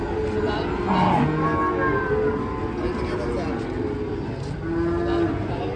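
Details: Cattle being unloaded from a truck in Indonesia; drawn-out low moos with steady harmonic bands, one near the start and another longer one toward the end, over constant background rumble and brief human voices.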